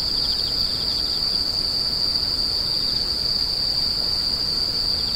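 A steady, high-pitched insect trill that rings on without a break.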